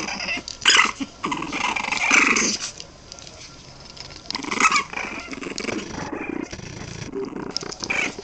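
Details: Boston Terrier puppies, 23 days old, making rough, raspy growling bursts near the start, around two seconds and again past four seconds, separated by quieter grumbles and soft scuffling indoors.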